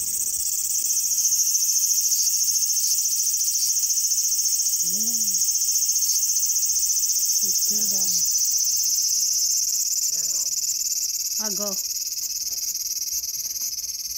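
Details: Cicada buzzing in a small garden on August 5, 2020, a constant shrill high drone throughout, while short rising-falling harmonic calls from another animal break in several times, around five, eight, ten and eleven seconds.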